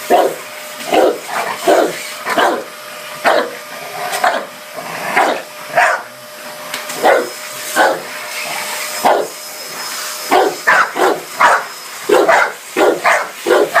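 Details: Dogue de Bordeaux barking at a running vacuum cleaner, giving a long string of loud, rough barks, some doubled or tripled in quick bursts, against the constant whine of the hoover.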